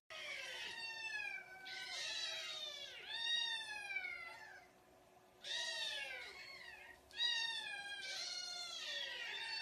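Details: Several kittens meowing in rich, high, arching calls that overlap in quick runs, with a brief lull before another burst of insistent cries.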